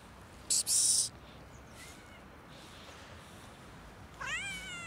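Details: A cat outdoors in winter cold, struggling for food and warmth: a faint meow near two seconds, then a louder rising-falling harmonic meow near the end; a brief loud broadband noise burst early on against quiet background hiss.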